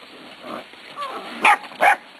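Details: Corgi puppies, eight weeks old, from Zoe and Strut's litter, filmed March 13, 2011; two quick, sharp, high-pitched yaps about a third of a second apart follow softer murmuring whines.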